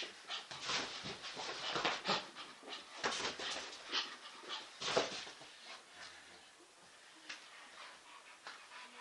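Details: English Bull Terrier playing chase, its favourite game; rapid noisy panting and scuffling bursts, irregular, with a few short sharp sounds around five seconds.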